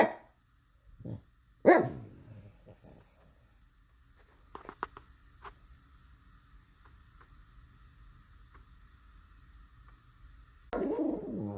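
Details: A pug barks in scattered outbursts: a low woof, then a sharp loud bark, long near-silent stretches with faint clicks, and a final burst of rough barking at the end.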